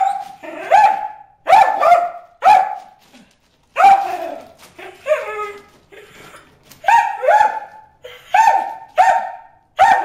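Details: Dog barking at fish in a water hole, a rapid series of about ten loud, harmonic barks in ten seconds, coming in bursts of two or three with short pauses.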